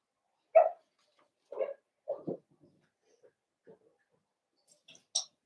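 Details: Young blenheim Cavalier King Charles Spaniel puppies from a litter of five in a home puppy pen give three short mid-pitched yelps about a second apart, then faint shuffles and one sharp high squeak at the end.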